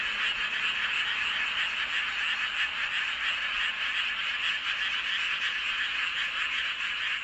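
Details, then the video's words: Many frogs calling together beneath the full moon at Seowon-myeon, Hoengseong, Gangwon-do, Korea; steady, unbroken mass of high rattling croaks blending into one shimmering chorus throughout. "보름달 아래 개구리들의 합창"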